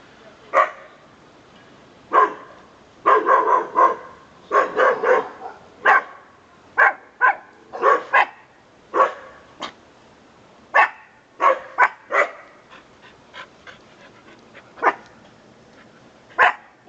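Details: Pet dog named Conga, a male called a good watchdog, barking at the world: short sharp barks in irregular bursts, some clustered in quick doubles and triples, others spaced several seconds apart, over a quiet indoor background.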